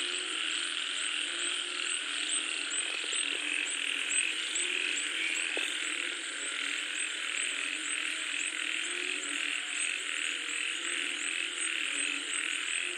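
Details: Frog and toad chorus during falling rain, heard as a thick continuous wall of croaking and rapid trilling with a fast, uneven pulse in the highest voices and a couple of brief knocks partway through.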